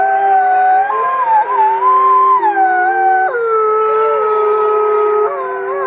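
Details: About fifty wolves howling as one pack, long steady wails at several pitches layered over each other, some voices stepping abruptly up or down while others hold level, a continuous sustained chorus.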